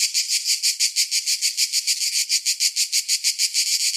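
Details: Summer cicada song: shrill, grating buzz rising and falling in quick regular pulses, about three each second, continuing unchanged to the end.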